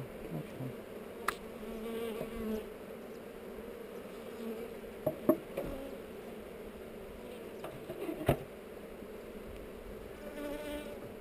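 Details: Buzzing of honey bees at a hive on heather, recorded on a GoPro while the hive is opened for inspection; an even, continuous drone broken by a few sharp knocks and taps.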